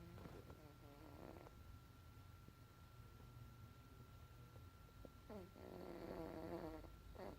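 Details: Lucky, a Bombay cat, snoring during a nap. Two drawn-out, raspy breaths with a tonal edge, one at the start and another about five seconds later. A faint steady hum runs underneath throughout.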